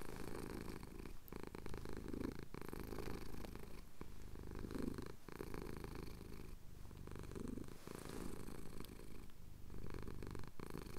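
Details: Pet tomcat having his chin scratched at sunrise in the Cotswold hills, recorded on a Tascam DR-07X; a quieter, even low purr with gentle swells every few seconds under faint background hiss.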